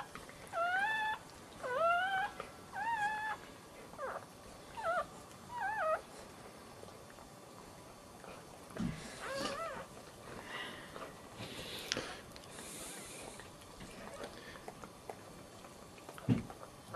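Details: Dachshund in labour with her second puppy, giving a run of high, rising-and-falling whimpers and whines, several per second early on, then softer scattered squeaks with rustling indoors.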